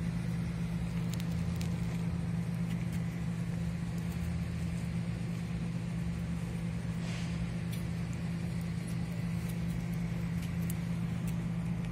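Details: Steady low engine hum with a strong droning band and faint crackling throughout; no animal voice stands out.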